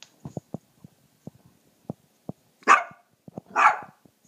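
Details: A puppy indoors, deliberately provoked by its owner to show how loud its voice is, gives two loud, harsh barks about a second apart, with soft tapping and small noises between them.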